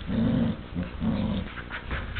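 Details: Short burst from two pet dogs squabbling over one chew toy, the little one aggressive: two rolling growls, each about half a second, low and gravelly, followed by brief scuffling.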